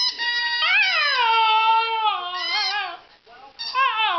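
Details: Border Terrier singing: drawn-out, tonal howling notes that slide down and waver, a sustained steady stretch in the middle, a brief pause, then a renewed rising wail at the end.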